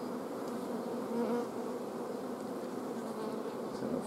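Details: Honey bee colony at an apiary on 14 June 2016, the queen blocked from laying by a lack of forage and food; a steady dense hum fills the hive, with brief brighter whines near the middle.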